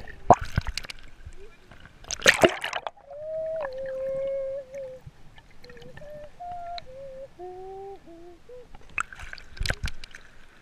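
Dusky dolphin whistles, a series of clear tonal notes that step up and down, between splashes and bubbling water.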